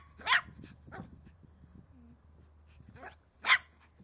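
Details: A 3-month-old Cavalier King Charles Spaniel puppy ferociously attacking a water bottle, letting out two sharp, high yapping barks about three seconds apart, with faint scuffling and a low background hum between them.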